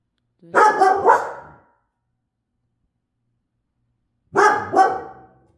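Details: Pet dogs on a chill night give a burst of three rapid harsh barks, then a pause of about three seconds, then a double bark.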